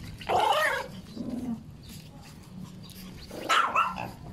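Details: Chihuahua giving two harsh, broad snarling or growling bursts, the first rising and wavering around half a second long, the second about three and a half seconds in, with a low murmur between them.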